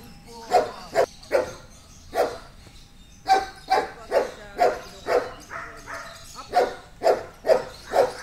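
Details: Short, punchy barks from Amos, an 8-year-old Belgian Malinois trained for agility and K9 work, come in irregular bursts over about eight seconds with brief gaps between groups.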